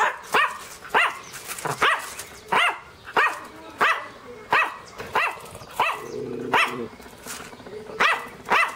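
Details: Dog giving a long series of short, sharp barks, roughly one every seven tenths of a second, with a brief low hum partway through.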